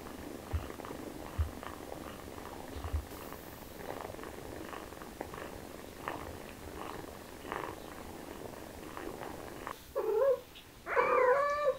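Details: Kittens excited by the smell of chicken purr steadily with soft rhythmic pulses, then two loud, wavering meows break out near the end, rising and falling in pitch.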